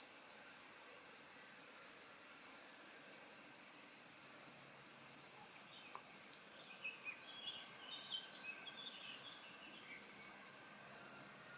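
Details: High cricket trill, rapid even pulses forming a continuous shrill band throughout, joined by a few faint, brief wavering calls midway and a quiet hiss underneath.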